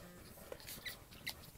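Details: Newborn French Bulldog puppies, the litter of Anais and Hobbit born October 29, 2011, give brief thin high squeaks: two or three short peeps within under two seconds over faint rustling.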